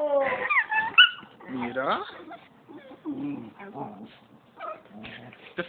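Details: Two puppies, Maya and Max, play-fighting indoors; squeaky yips and whines mixed with rough growly grumbles, uneven and overlapping, with a person talking over them.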